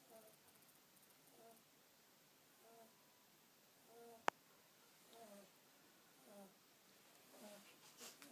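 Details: Sleeping kitten snoring indoors, soft wheezy nasal breaths with faint harmonics repeating roughly every one to one and a half seconds, one sharp click midway, otherwise a quiet small room.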